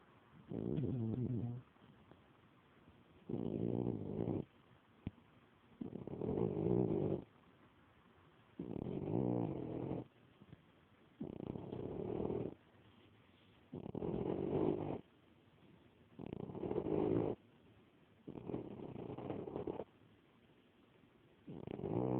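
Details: Elderly mother cat, 17 years old, asleep and snoring, captured on an Android phone: steady rasping low breaths of about a second each, recurring roughly every two and a half seconds, nine in a row.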